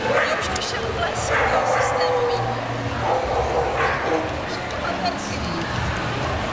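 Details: A female champion-class Alaskan Malamute at the European Dog Show in Brno, Czech Republic, 23 October 2014, gives rapid, uneven woo-like talking vocalizations that rise and fall, broken by short barks and yips, with a faint possible human voice beneath.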